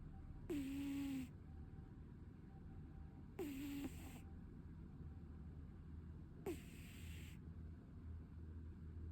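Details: Short-legged Munchkin cat asleep and snoring, with airy snorts roughly every three seconds, each holding a brief low whistle that drops and flattens, and a constant low background drone.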